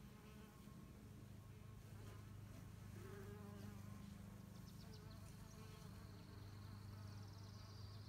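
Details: Several female mason bees mining mud to build nests; continuous low hum with pulsing, fluttering overtones, a few short clicks and faint high tones late in the recording.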